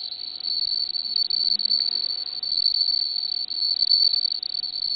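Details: Bell cricket call, a sustained high, bright tinkling trill without pause, slightly pulsing in loudness, over a faint low hum.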